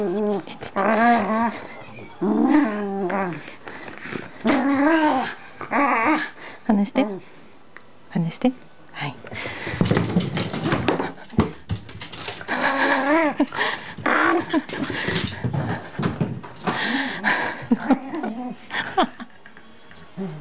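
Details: Shiba Inu playing with packing tape inside a room; a run of wavering, whiny growls opens, then gives way to rustling and human speech.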